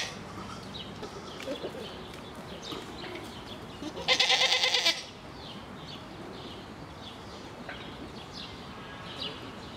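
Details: Grisons Striped goats at Erlenpark in Basel, Switzerland; a single loud, quavering bleat of about one second arrives midway through, rich in stacked harmonics, set against quiet background murmur and faint distant chirps.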